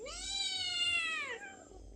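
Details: A hungry household cat coaxing its owner for food with one long, bright meow that rises at the start, holds steady for over a second, then bends downward and fades into a quiet room.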